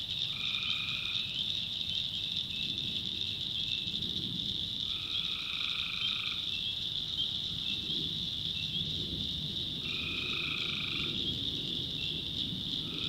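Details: Night chorus of tree frogs from a North Carolina backwoods swamp: unbroken high-pitched trilling throughout, while a lower buzzing note sounds in bursts of about a second, returning four times.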